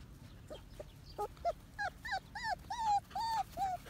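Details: One-month-old Medium Poodle puppies whimpering: a run of short high yelps and squeaks, rising in strength into longer arched whines repeated about every third of a second, with soft Japanese speech before.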